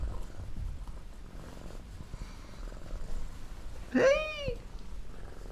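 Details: Pet cats inside a house, missing their owner when the door stays shut: a low steady purr runs throughout, broken by a single loud, bending meow.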